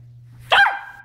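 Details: Shiba Inu dog guarding his bone, a single sharp, high bark, brief and abrupt, over a steady low hum in a quiet room.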